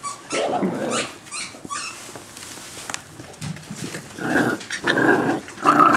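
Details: Indoor play among young Boxer pups, nine and thirteen weeks old, with Vegas: rough, throaty growls come in uneven bursts with short gaps, mixed with scuffling and brief higher whines near the end.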